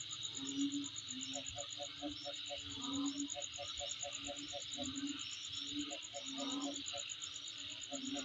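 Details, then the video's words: Insects near a house keep up a constant high buzz and fast pulsing trill, while below them short bursts of rapid low clicks and repeated low tones break in every second or so. "Sound Of Insect In My Place"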